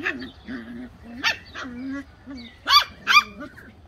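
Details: Bedlington Terrier puppies giving a run of short, nasal whines that bend up and down, then two sharp, higher yelps near the end, with a faint voice in the background.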